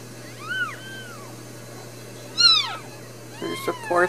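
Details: Brand new Ragdoll kittens, one of a litter of four born in a home cattery in central Kansas, with a fifth possibly on the way; three high, thin arching mews, the middle one loudest, then sharp clicks and rustling.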